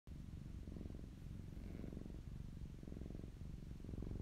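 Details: Close-up recording of a fluffy pet cat purring; a low, continuous rumbling purr swells and eases in a regular rhythm, roughly one cycle per second, in a quiet room.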